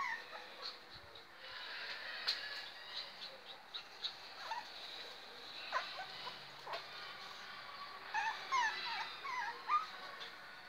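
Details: German Spitz puppies, including a miniature female, whimper and yip in thin, high, wavering cries at irregular intervals.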